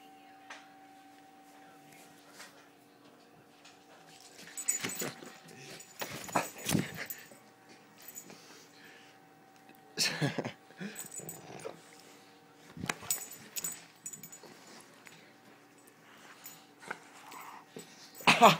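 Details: Sam, a Rhodesian Ridgeback, playing with an arm at work: quiet stretches broken by bursts of whimpering, yipping dog vocalizations around the middle and end, with a steady electrical hum under an indoor room.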